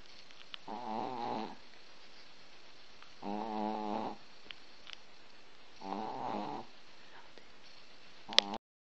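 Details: Sleeping Chihuahua snoring, three drawn-out nasal rattling snores roughly every two and a half seconds, soft breaths and small clicks between, ending with a sharp tap.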